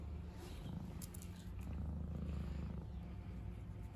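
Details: Stray calico cat, hungry and trying to carry Kalkan cat food outside: a low, continuous purring rumble that swells in the middle and then settles, with faint clicks and light handling sounds above it.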